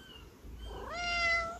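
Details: Cat waiting in line gives a single clear meow that starts low and quiet, then sweeps upward and holds a bright, steady, drawn-out tone to the end, with faint fainter calls just before it.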